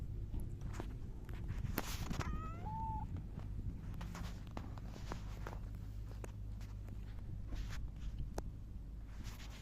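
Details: Silver tabby cat recorded on 11 July 2024 while rubbing against someone, giving a single short meow that rises then levels off, over steady low hum and soft rustling, footstep-like handling noise.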